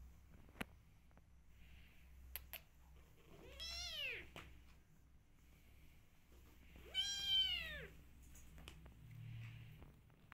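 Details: Meows from rescue kittens: two clear arched cries, each rising then falling in pitch and lasting under a second, spaced roughly three seconds apart, with scattered clicks and a low background hum in a quiet room.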